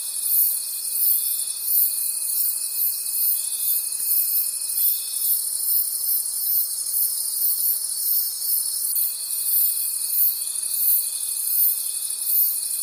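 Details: Night forest crickets form a continuous high, rhythmically throbbing chorus, several callers overlapping; a lower sustained whine runs for about five seconds, pauses, then resumes near nine seconds.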